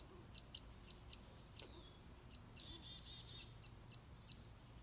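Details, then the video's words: Red squirrel asserting itself against a grey squirrel with clipped, high squeaky chips at a steady pace, plus a short rasping flutter in the middle. "Red squirrel telling a gray squirrel who’s the boss"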